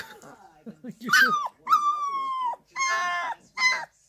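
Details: A 2-week-old Irish Wolfhound puppy named Lola howls: after soft low whimpers come four drawn-out, slightly wavering cries, each held about half a second to a second, the last ones short and rising.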